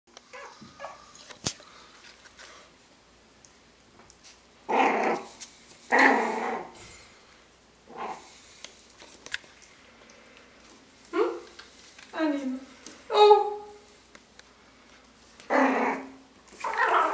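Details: Playful one-month-old Yorkshire Terrier puppies from a litter of five awake, growling and play-fighting indoors; short rough growls and yaps come in scattered bursts, some with rising squeaky tones, between quiet gaps.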